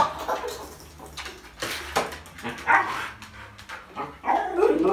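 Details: Husky dog, happy yet gentle and careful, meeting a baby up close for the first time; short whiny, yelping vocal sounds that rise and fall irregularly, with louder drawn-out whimpers near the end over light room noise.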